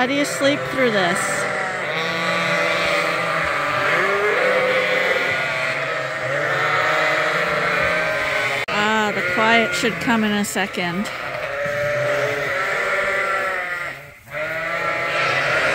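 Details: Lambs on a hand-made bottle feeder at Ewetopia Farms, fed twice a day to top up their mothers' milk; many wavering bleats overlap steadily throughout, with a short dip in the noise near the end.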